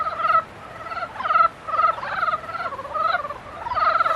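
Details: Frogs calling in mating season: bursts of pulsed, nasal, harmonic croaks, each about half a second long, repeated roughly every second in an overlapping chorus. Quiet gaps separate the bursts, with no other clear sounds.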